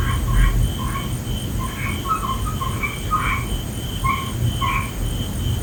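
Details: Several frogs calling at night, overlapping short nasal croaks at slightly different pitches in an irregular stream, over low rumbling background noise and a faint continuous high tone.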